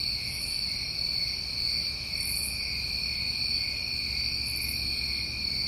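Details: A night chorus of New England crickets in summer, an even, ringing high trill that never pauses, topped by three brief glittering bursts of higher chirping.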